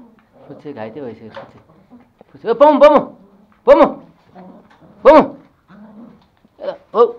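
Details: Two toy Pomeranian puppies, male Pomo and female Pomy, at home in Kathmandu, Nepal, tussle over a sock; sharp, high yapping barks burst out in separate bouts about a second apart, mixed with people talking nearby.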